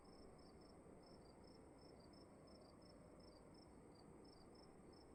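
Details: Night-time crickets calling inside a dark room, with crisp high chirps, some overlapping in pairs as if two callers alternate, above a constant muffled background hiss.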